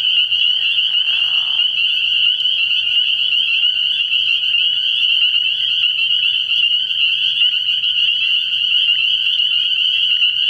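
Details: Frog pond at night in early spring, alive with spring peepers: an unbroken high, ringing mass of peeps and trills, opened by a short lower croaking burst in the first two seconds.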